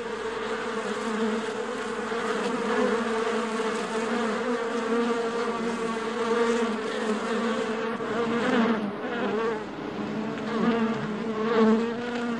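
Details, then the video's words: Many honey bees buzzing within their hive, a thick unbroken droning hum with strong low tones, swelling slightly louder toward the end as individual bees pass closer. "Buzzing World of Bees: Beehive Ambience"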